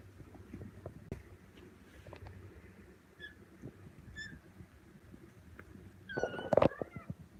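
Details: Kittens calling with faint, high, short squeaks early on, then one louder, brief, harmonic meow that rises and falls near the end, over quiet room noise and soft talking.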